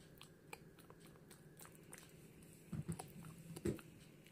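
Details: Female Pomeranian Hana eating gum inside a small room. Soft clicking bites at first build to a few heavier, thudding chomps in the last two seconds, all over a steady low hum.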